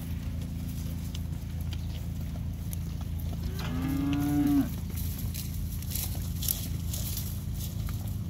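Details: One of forty Beefmaster heifers, 225 kg each, sold at auction; a single drawn-out moo of about one second swells midway through, rich in harmonics, against steady low background rumble and faint clatter.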